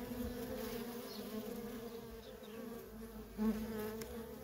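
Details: Worker honey bees at a feral colony keep up an unbroken, even buzz with a bright overtone. Near the end one bee passes close in a short, louder surge.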